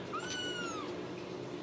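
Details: Young Ragdoll kitten from a home-raised litter in central Kansas: one clear, high, thin mew lasting under a second, rising briefly then sliding slowly down, with a constant low background hum.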